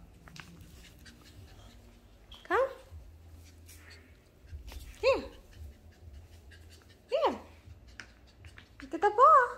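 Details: Shih Tzu puppy indoors, playing with a ball. It gives four short whining yelps, each sliding down in pitch, about two seconds apart, and the last one bends upward. A person's voice is heard between the calls.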